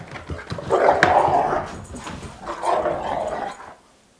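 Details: Two dogs wrestling playfully in circles around a house; a loud, rough, throaty growl swells for about a second and a half, eases, then rises again in a second drawn-out growl indoors.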